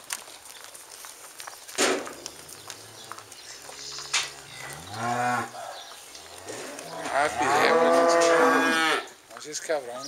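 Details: Charolais cattle, registered stock with French and American bloodlines, low and moaning: a short moo at mid-clip, then a louder drawn-out bellow lasting about two seconds near the end.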